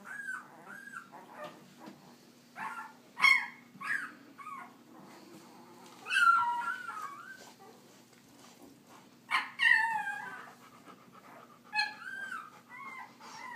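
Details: Puppies, the babies of a dog named Leia, out for walking time, giving high whining squeals and short yips in scattered bursts, some rising then falling, several overlapping, over a faint steady low hum.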